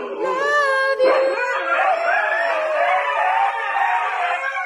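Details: Husky vocalizing in a pet compilation: a sustained, wavering tonal howl with layered harmonics, starting with short yelps then holding a long, slightly rising and falling note, possibly joined by a second voice.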